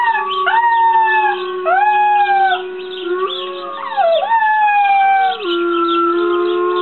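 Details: Puppy howls glide up and sag down over a continuous steady drone, the wavering cries overlapping and merging into a long, sustained howl.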